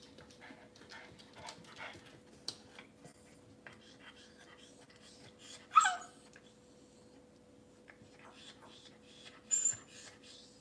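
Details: Cavalier King Charles Spaniel puppies in a kitchen, filmed by a kitchen camera on a cloudy Monday morning. A single short, high whimper wavers midway, a fainter squeak comes near the end, and a steady low room hum and soft rustling run throughout.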